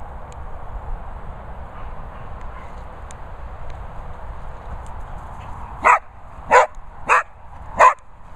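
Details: Vocal Springer Spaniel Holly Berry barks four times in quick succession after a quiet stretch of low hum, each bark short and sharp, roughly one every two-thirds of a second.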